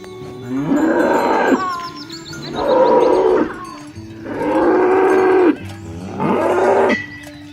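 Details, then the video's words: Cattle herd driven toward the livestock pen in rural countryside: four harsh, drawn-out moos spaced about two seconds apart, each roughly a second long, over soft background music. "Bunyi sapi lucu"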